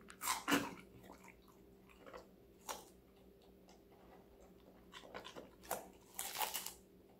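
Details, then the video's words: Connie, a five-month-old female Golden Retriever puppy, eats vegetables indoors: scattered crisp crunches and bites in short bursts, with quiet pauses between mouthfuls and a faint steady hum underneath. "강아지 각종야채 먹방 l 사각사각사운드 🌿Various vegetavles🌿REAL SOUND"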